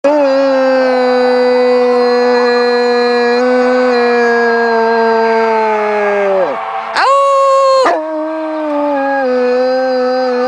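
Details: Two Newfoundland dogs howl together while joining in with an anthem: long sustained tonal howls held at two steady pitches, one voice higher than the other, with a brief sharp rising yelp near the end before both settle back into steady howling.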